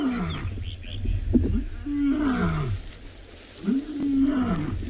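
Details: Lion roaring in the distance during a morning safari in a South African private game reserve, October 24, 2020: deep, drawn-out moans sliding downward, with a guide speaking over it. The guide says the lions sound like they are moving.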